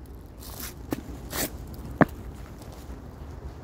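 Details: Quiet outdoor crunching and scraping like footsteps on gravel, with one sharp click near the middle and no barking or other animal calls.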